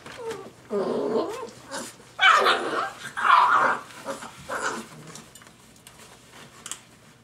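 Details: Five-week-old Dogo Argentino puppies yipping and growling in play: a few rough, noisy bursts about a second apart, loudest in the middle, fading to soft squeaks at the end.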